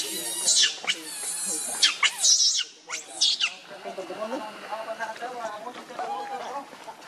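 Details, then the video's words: Rainbow, a monkey, is very angry while protecting Lucie from Kachoy. Loud, shrill, harmonic screams burst repeatedly over the first three seconds, then give way to quieter, lower, chattering sounds. "Rainbow Very Angry To Protect Lucie From Kachoy"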